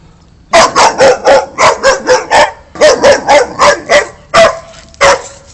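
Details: A Boxer barks in fast, rapid-fire bursts of about four per second, harsh and broad, a short break, then another run and a few trailing barks over a low background hum.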